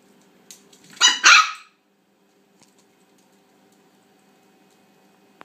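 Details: A female toy Australian Shepherd puppy gives a quick double yap at her bone, two high sharp barks in rapid succession, then near silence with one small click.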